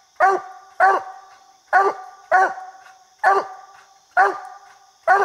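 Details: Coonhound at a tree holding a treed raccoon during a coon hunt; loud, strong single barks spaced about a second apart, slightly uneven, over a faint steady background hum.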